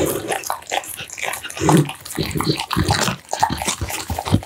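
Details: Heavy, close chewing from an American Bully eating minced duck meat, steamed pumpkin, tofu and dried vegetables; deep wet chomps and smacks repeat rapidly, with slurping licks between bites.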